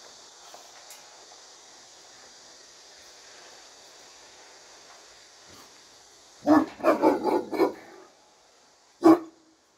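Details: Turkish Great Dane behind a barrier barking: after six seconds of quiet hiss, a quick burst of five deep harsh barks, then one more loud bark near the end.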